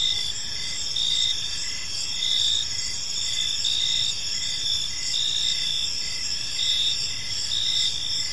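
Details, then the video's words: Several crickets chirp through a park evening, bright sustained trills with gentle periodic swells about each second, steady and unbroken, faint low background rumble. "Cricket Sounds in a Peaceful Park"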